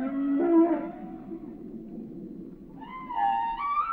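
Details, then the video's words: Whale song: a steady low moan with harmonics, a quiet pause, then a higher wavering tonal phrase with several stacked overtones. "Song of the Whales"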